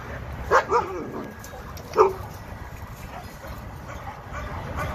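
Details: Senior eight-year-old Labrador Retrievers Roger Tailor and Freddy Barkury, abandoned in a vacant industrial lot off the 710 freeway and now kenneled: two quick barks in a row, then a single bark a second later, over steady low background hum.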